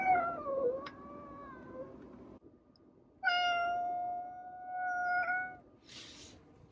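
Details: Domestic cat producing a wavering, falling meow that trails off, then after a short gap a long, steady, strong meow lasting over two seconds, with a brief hiss-like noise at the end.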